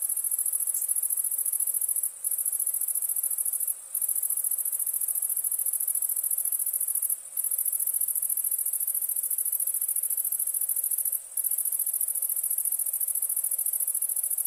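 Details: Crickets at night in India produce an intense, steady high-pitched trill, dropping out briefly four times and otherwise running without a break.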